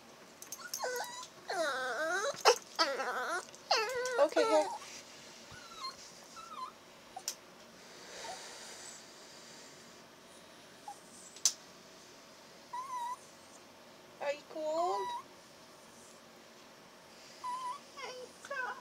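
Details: Chihuahua puppy indoors 'talking' while air is blown on its ears to warm them, giving wavering, rising and falling whines and yodel-like moans in clustered bursts, then quieter squeaks, with a woman speaking softly.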